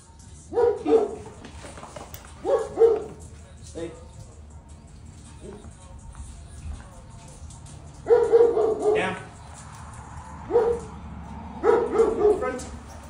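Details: Belgian Malinois puppy barking in short bursts of a few yaps each, roughly every two seconds with pauses between, alongside applause, a man saying yes sir, and background music.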